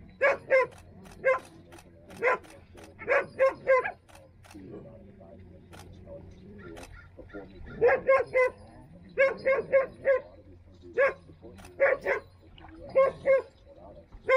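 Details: Standard Poodles at home in Ketchum, near Sun Valley, Idaho: sharp, clipped barks in quick runs of two to four, about twenty in total, with a lull and faint voices midway.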